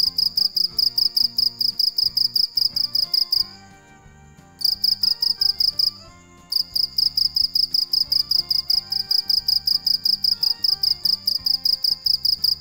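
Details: Night-time cricket chirping: a steady run of rapid, shrill pulsed chirps at about two or three per second, broken by two short silences, with quiet music playing underneath.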